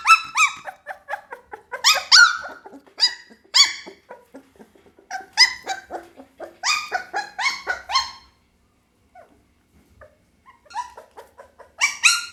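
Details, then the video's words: Pit Bull puppy letting out bursts of shrill yelps and small barks in uneven clusters, with a quiet pause near the end before a few more sharp cries. "เสียงหมาน้อย ลูกพิทบูล"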